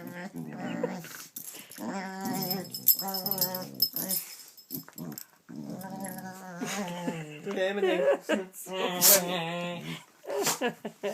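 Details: Gidget the dog voices a long series of silly groaning, whining noises indoors, uneven bursts with wavering pitch and growly undertones, while a person talks over parts of it, asking what the dogs are doing.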